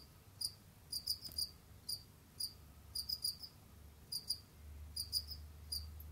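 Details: Jamaican field cricket kept as a pet: sparse high chirps of one to three pulses, irregularly spaced a half second to a second apart, with a low hum rising toward the end.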